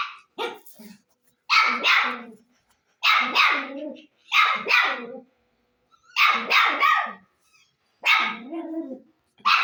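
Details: Loud, harsh dog barking in paired bursts, roughly every one and a half seconds, each bark dropping in pitch, with brief silences between.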